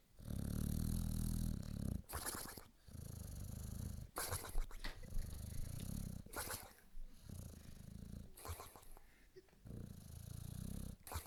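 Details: Boxer sleeping deeply on a couch snores loudly: long, low, rasping rumbles with a breathy edge, each lasting about one and a half seconds and recurring roughly every two seconds, separated by brief quieter breaths.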